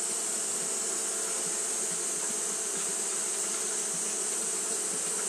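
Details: Japanese honey bees doing continuous fanning behaviour in hot weather, giving an unbroken low buzzing drone with stacked tones, joined by a steady sharp hiss high above.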